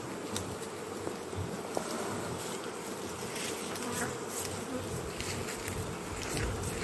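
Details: Kept western honey bees in Jambi, Indonesia, during an acacia honey harvest from hives left unharvested for three weeks; a steady, dense hum of many bees is heard throughout, with faint clicks and handling noise.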